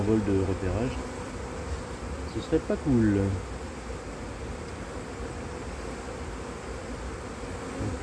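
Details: Honey bee colony turned drone-laying after failed first matings on splits, in cold 2024 weather, heard at the open hive: a steady low hum of many bees, preceded by brief bursts of a man's voice.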